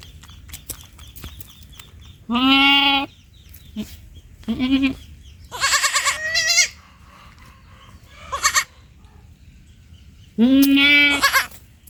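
A young goat bleats in loud, wavering cries, several spaced a few seconds apart.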